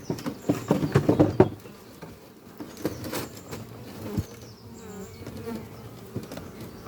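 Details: Honey bees flying at a horizontal hive, made from an old French oak chest, under trees on a spring morning, workers bringing in pollen; loud overlapping buzzing passes in the first second and a half, then a softer hum with scattered close fly-bys.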